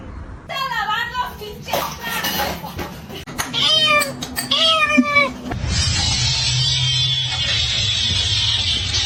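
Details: Kittens and cats meowing in a funny cats compilation: a wavering meow, then two clear descending meows in quick succession, followed by a stretch of steady broadband rushing noise with faint voices.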